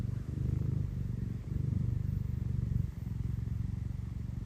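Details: Tino the Scottish Fold, an affectionate cat, gives a strong rumbling purr in clear breath-by-breath waves, each cycle lasting roughly a second and a half, with nothing else audible.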